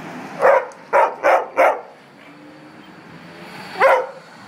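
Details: A complaining dog, recorded in January 2015, lets out four rapid barks within the first two seconds, goes quiet, then gives one more bark near four seconds against faint background hum.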